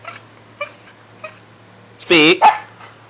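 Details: Pet dog, male, told to speak, gives a few high thin whines, then one loud harmonic bark and a short second bark; owner repeatedly says speak.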